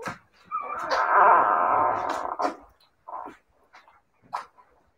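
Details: Siberian Husky puppies: one long, steady, high whine of about two seconds, then a few short whimpers and soft yips trailing off into quiet.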